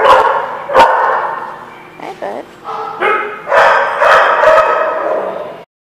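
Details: Dog barking at a lot in spring 2016; sharp barks mixed with a whining, wavering yelp, rising in a dense final burst, with human voices alongside.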